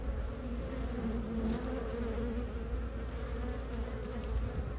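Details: Early-spring honey bee foragers landing at their hive entrance in Ohio, March 2023, legs packed with light yellow maple pollen; a continuous layered buzzing drone with faint wavering pitch, over low background rumble and a couple of brief high ticks.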